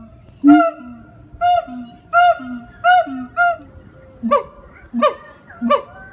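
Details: A siamang at the Jacksonville Zoo in Florida gives loud, honking howls in a steady series during a vocal performance, each backed by a low booming note.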